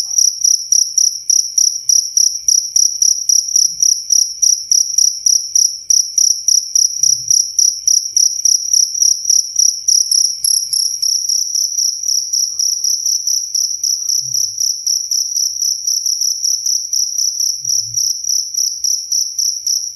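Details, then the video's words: Long unbroken run of cricket chirps, a high shrill pulsing trill at an even pace of about three to four bursts each second, with scattered faint low thuds. "SUARA JANGKRIK SUPER JERNIH"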